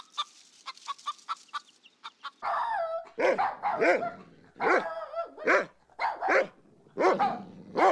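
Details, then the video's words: Dog barking in short, harsh bursts from about the third second, several barks with falling harmonics. Earlier, quieter, clipped high-pitched chirping notes come in quick succession. "Sounds of wildlife animals, familiar animals: dog"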